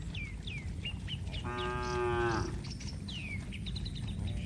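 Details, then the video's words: A single steady, flat moo lasting under a second from cattle running in mud, framed by quick downward-sweeping bird chirps before and after. "Suara sapi Moo"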